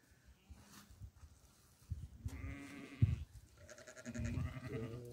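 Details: Goat at barley feeding time bleats twice: a brief tremulous call, then a longer, louder, quavering bleat, with low knocking and shuffling sounds beneath.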